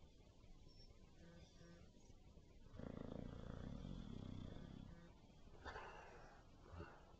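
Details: Bulldog named Benny with a snoring problem; low, raspy snore rises for about two seconds, followed by softer breathy sounds.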